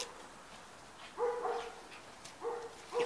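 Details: Eight-week-old Hungarian white Puli puppies giving short, high, whining yelps with rich harmonics, in small clusters of two or three calls roughly a second apart, with faint household noise behind.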